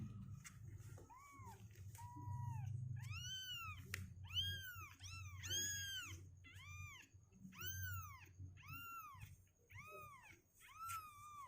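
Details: Insistent kitten meows, rapid and repeated nearly every second, each a bright rising-then-falling cry; the litter is two weeks old, healthy, legs strengthening, refusing to stay in the box. Faint low hum beneath.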